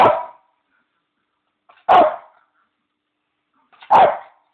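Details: Pet Bichon Leo asking for his bone: three short, sharp barks spaced about two seconds apart, each dropping off quickly into silence.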